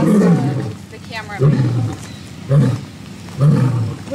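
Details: Lion in the African savanna giving a run of four short, deep grunting roars that drop low, spaced roughly a second apart, the kind of call used to mark territory.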